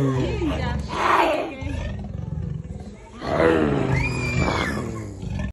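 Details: An angry leopard at Hartbeespoort Animal Park, North West, South Africa, gives two harsh, rasping snarls, each lasting over a second, separated by a brief pause, with faint human voices.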